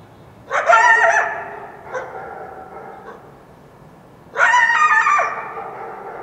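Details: Wild coyote yelping at dawn after a full moon night in the foothills of the Washington Cascades; two loud, harmonic, wavering yelp bursts about four seconds apart, with a fainter call between them, over quiet background.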